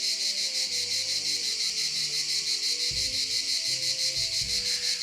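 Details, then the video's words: Cicadas heard outdoors, a sound the listener enjoys: a dense, shrill buzzing that pulses about three times a second, steady throughout, over faint low tonal hums. "Vous entendez le bruit des cigales? Ça c'est le plaisir."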